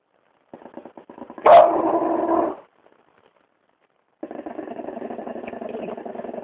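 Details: French bulldog growling at a person's foot indoors: a low rumbling, buzzy growl broken by one sharp bark burst, a short pause, then the steady throaty growl resumes.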